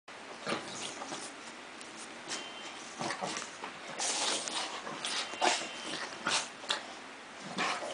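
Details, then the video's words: A Chow Chow, happily jumping after a walk in the park, gives short, sharp barks and soft whimpers at irregular intervals in a small room; finding: Chow Chow. "Chow Chow happy jumping and barking"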